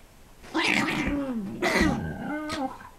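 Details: A 4 lb Chihuahua and an 80 lb Pit Bull growl together while playing, in drawn-out, moaning tones that rise and fall in pitch, almost in harmony; dog growl.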